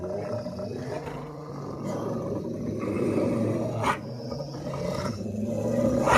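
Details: Fighting pair of Rottweilers snarling: a steady, dense, low rough growl with rapid pulsing, broken by a few sharp snaps and a brief human shout.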